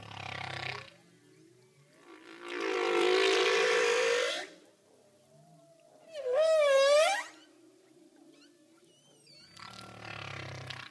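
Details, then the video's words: Underwater communication calls of a humpback whale. Long, roaring moans and sweeping, swooping cries with rich overtones come in bursts every few seconds, separated by soft, low tones. "Humpback Whale Underwater Communication Sound Effect"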